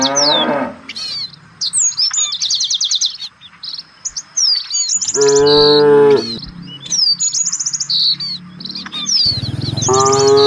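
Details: Village cattle moving as a herd while seeking fresh grass: three moos, the middle one longest and strongest, with constant bird twittering and whistled notes behind them.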